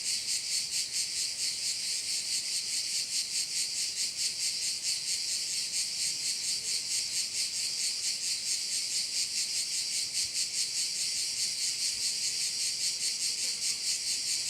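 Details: Insistent high-pitched cricket chorus at a bay in Korčula, Croatia, rapid rhythmic pulsing running without pause through the whole stretch, no birds or voices standing out.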